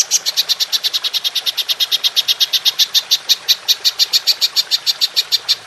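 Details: Golden grasshopper, recorded for training songbirds, producing a clean, even train of sharp high chirping pulses, about seven per second, steady throughout with a quiet background.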